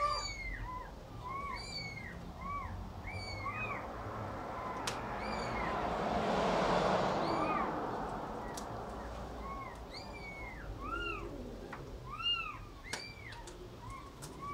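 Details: A cat and kitten feeding, many brief high arched mews repeated rapidly, several callers overlapping, with a swelling hiss of background noise midway and occasional clicks.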